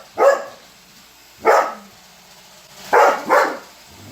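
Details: Weimaraner dog barking at a running robot vacuum, annoyed by it: three loud, short, broad barks at irregular intervals, the last two close together, over a quiet indoor background.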